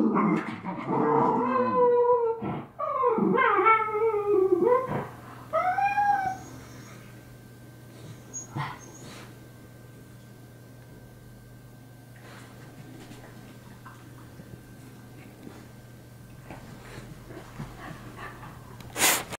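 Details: Two miniature schnauzer brothers in their daily scrap: high rising and falling whines and yelps in the first six seconds, then mostly quiet with faint scuffling and a low steady hum, ending in a sudden clatter.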